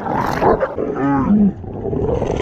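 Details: Fight between a territorial pit bull and a Belgian Malinois at a dog park, a continuous throaty snarl with rising and falling rasping growls, harsh and roar-like throughout.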